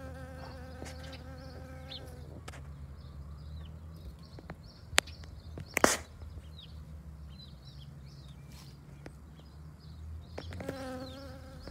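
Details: A Western honey bee pollinating a dandelion gives a low, steady wingbeat buzz that drifts in and out, with small birds chirping behind.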